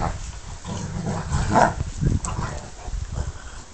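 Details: Rhodesian Ridgebacks play fighting, giving low, rough growls and huffs throughout, with a sharper, louder vocal burst around the middle and a second surge soon after, against a steady low rumble of movement.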